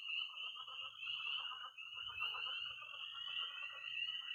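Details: Tree frogs peeping, pond frogs croaking and toads trilling on an early spring night in Missouri; shrill overlapping peeps pulse above a dense mid-pitched chatter of croaks, with a faint low hum.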